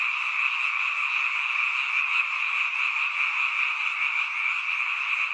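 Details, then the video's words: Frogs crowd the night air around a mountain village in a chorus heard only at this season: a thick, constant high buzzing of overlapping calls, unchanging from start to end. "잠이 오지않은 밤 개구리 소리와 잠을 청해보세요"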